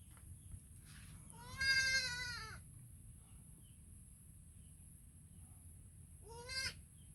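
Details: Baby goat calling to its mother with a clear, quavering bleat that falls in pitch, then after a pause a shorter, softer bleat; low background hum throughout.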